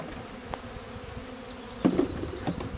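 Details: Hungry bees giving a steady low buzzing hum, joined in the second half by a few sharp clicks and taps.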